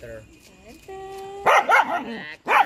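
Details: Dog from a compilation of cute dog and puppy moments: soft tonal whining lines at first, then three loud, sharp, harmonic yaps, two in quick succession and one after a short pause, over a faint steady hum.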